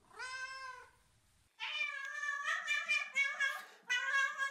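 A domestic cat gives loud, direct, drawn-out meows, a demand for attention.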